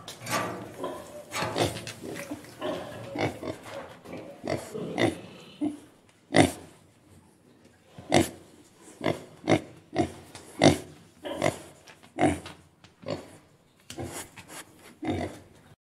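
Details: Pig grunting and oinking: short, rough, broadband bursts crowded together through the first six seconds, then separate grunts roughly every second, some louder and harsher, with quiet gaps between.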